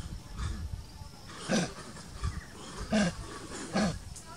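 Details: Baby monkey, Gina or Jupi, living in Cambodia, crying in fright and calling its mother for help while the king monkey watches; three short, harsh, tonal cries, about one every second, over steady background hiss.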